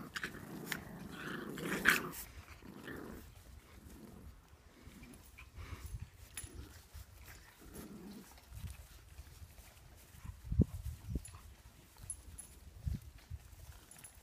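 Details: Boxer puppies at play with chihuahuas: low growls and grumbles come in bursts, with a few sharp yelps and thuds mixed into the scuffling.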